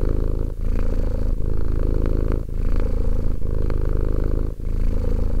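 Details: Romek, a two-year-old domestic cat, purring steadily: a deep, throbbing rumble broken by brief pauses about once a second as breathing switches direction.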